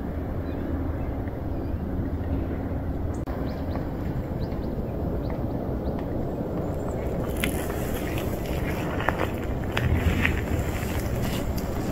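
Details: Broad outdoor rumble of passing vehicles with faint voices and a few scraping ticks, no animal call audible.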